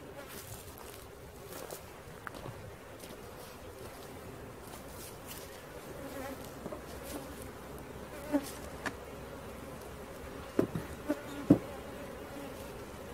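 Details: Honey bees from a swarm being caught, a softer, fluttering buzz of many insects overlaid by scattered clicks and sharp knocks of handling, strongest near the end.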